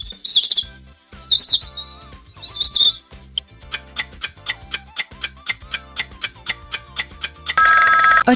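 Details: Three high, warbling, bird-like cheetah chirps in quick succession, a cat that cannot roar but chirps and purrs, then a steady ticking musical beat and a bright chime.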